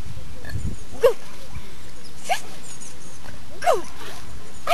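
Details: Bernese Mountain Dog Mobis, 1.3 years old, during a training session, gives three short sharp barks spaced about a second apart, with people talking in the background.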